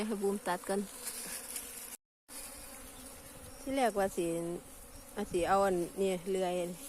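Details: Asian honey bees at a wild cavity nest found abandoned; buzzing flight passes rise and fall in pitch, some bending sharply as insects swoop near, short gaps between bursts, steady low hum beneath.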